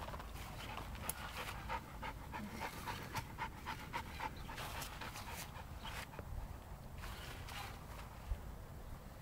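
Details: Seven-month-old West Siberian Laika panting steadily, quick rhythmic breathy huffs repeated several times a second throughout, with a few louder gasps and a sharp click near the end.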